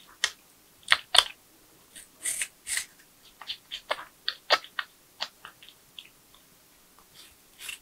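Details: Porcupine chewing through nuts, bananas, sweet potatoes, apples and carrots, with rapid, uneven crunches about four a second, some louder crackling bites mixed in.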